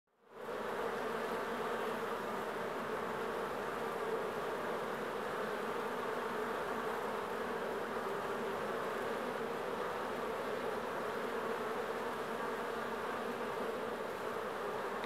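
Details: Agitated honeybees from a large swarm entering their hive on August 31, 2014, a dense continuous droning hum with a steady low-mid buzz lasting throughout, no pauses or other clear sounds.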